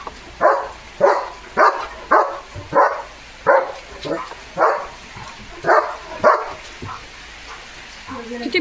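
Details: Soaked by monsoon rain, German Shepherd Leo keeps barking boisterously. Around ten sharp barks come roughly every half second, with one longer gap midway. Rain patters throughout, and a person's voice is heard near the end.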